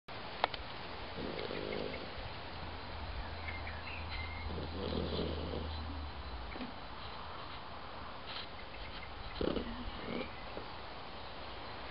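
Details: A dog of about 17 years sleeps in the sun, snoring: two soft, rasping breaths about three seconds apart over a low steady hum, with faint bird chirps in the background.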